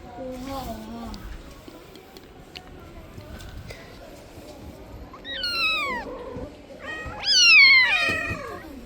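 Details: Mother street cat pleading for her kitten to be returned: two loud, high harmonic meows near 5.5 and 7.5 seconds, each starting high and sliding downward, after fainter earlier calls and quiet background voices.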